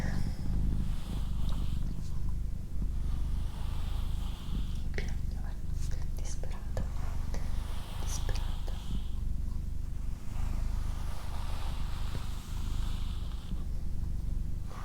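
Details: Doroti, a female domestic cat, keeps up a low, smeared rumbling purr throughout, less clearly pulsed, under intermittent whispering and faint tapping noises.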